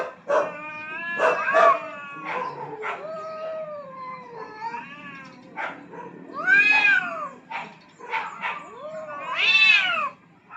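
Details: Two aggressive rooftop cats fighting for dominance trade a long series of yowls, moans and wails, the pitch bending up and down, broken by sharp spitting bursts, with two louder rising-and-falling howls in the second half.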